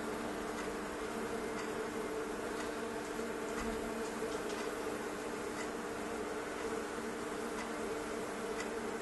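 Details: A swarm of thousands of bees trapped in a fireplace stove hums in one thick, even drone, with brief faint ticks scattered across it.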